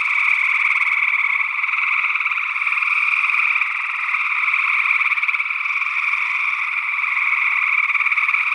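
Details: Gray tree frogs calling in Northwest Wisconsin in early June 2022, alongside an unidentified second frog species, captured with a matched pair of small condenser microphones in ORTF stereo; a dense, unbroken chorus of overlapping trills with a steady, buzzing texture throughout.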